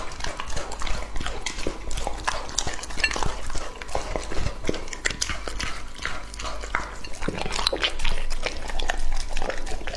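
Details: Two-and-a-half-year-old English-type Labrador Retriever eating raw meat, with wet chewing and smacking, crunching clicks and sharp crackles repeating throughout, over a steady low hum.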